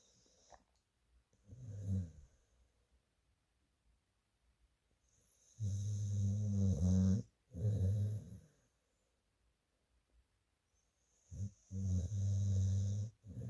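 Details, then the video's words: Sleeping adopted rescue dog snoring: low rumbling snores in three bursts, the longest about two seconds, separated by quiet pauses, with a faint steady hiss in the background. "Moses snoring away"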